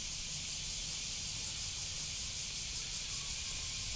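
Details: A cicada's unbroken, high shrill buzz with a fast, subtle pulsation running steadily from start to end; a low rumble sits underneath.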